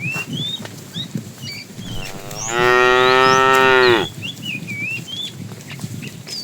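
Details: Tame cow on its morning walk to grassy fields lets out one loud, sustained moo of about a second and a half, steady then dropping slightly, with chirping birdsong before and after.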